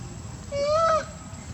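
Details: Mother monkey Briana or Briget calling loudly for her baby Baron to come back; a single clear, tonal half-second coo that rises then falls slightly, with harmonics above it, over low background rumble.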